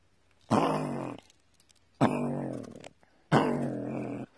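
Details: Ferocious gray fox inside its burrow: three harsh, grating growls each lasting under a second, spaced roughly a second apart, close and echoey.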